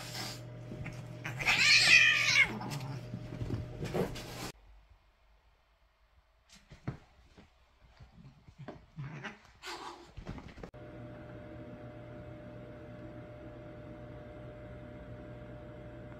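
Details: Two cats in rough play; one lets out a loud, drawn-out, wavering yowl for about three seconds over a low hum, then a quiet stretch of soft thumps and rustles, and finally a steady hum resumes.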